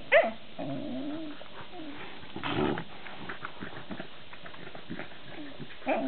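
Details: Dandie Dinmont Terrier with canine companions, a sharp yelp at the start followed by low wavering growl-whines, a rougher louder burst midway, and another short yelp closing.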